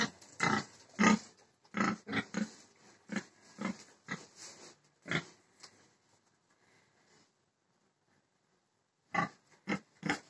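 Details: Pig giving rapid rough grunts, roughly two per second for about six seconds, then a pause and a fresh burst of three grunts.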